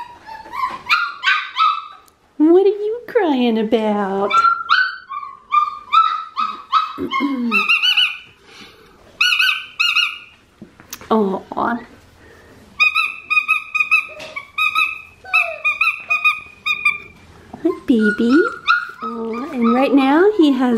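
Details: Red tri Australian Shepherd puppy boy with one blue eye at Fifteen Acre Farms, Oklahoma, 16 November 2019, crying indoors; thin, sustained whines and short yips repeat in bursts, broken by a woman talking to the puppy.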